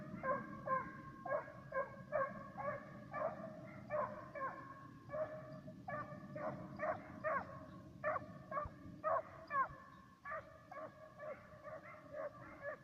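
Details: Serbian hounds, a pair working a fox and roe deer trail, baying in quick bursts of several sharp, tonal yelps with short pauses between runs, over a steady low background rumble.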